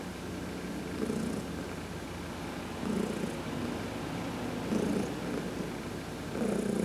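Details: Heidi, an adopted house cat, purring through a massage during a sun bath; four rhythmic rumbling bursts, each strengthening then easing, spaced about two seconds apart.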